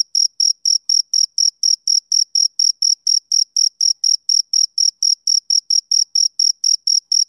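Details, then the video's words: Male cricket chirping on a summer evening, giving brisk repeated high-pitched pulses at about three per second, each crisp with a faint ringing overtone. The background stays otherwise silent throughout. "Cricket Chirping Sound Effect"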